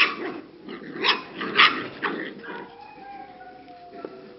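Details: English cocker spaniel puppies aged six to seven weeks at a kennel in the Czech Republic: a few sharp high yips in the first two seconds, then thin drawn-out whining tones that slowly fall away.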